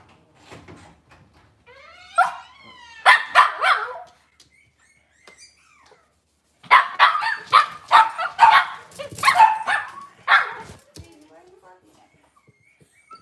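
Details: Cavalier King Charles Spaniel indoors in a kitchen, filmed on a live puppy camera with moms, puppies and dads on a cloudy Monday morning; a rising whine, then bursts of sharp yelping barks in quick clusters, quiet room between.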